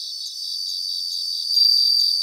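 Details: Brief stretch of a bell cricket chorus in Japanese grassland, continuous high ringing with faint rhythmic pulses, growing slightly louder toward the close.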